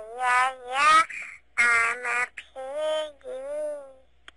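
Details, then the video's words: Pebbles, a female pet bulldog, sings her first song: drawn-out, whining howls in rich harmonic bursts, some steady and some wavering, with short pauses between them. "A Bulldog Song - I'm A Piggy"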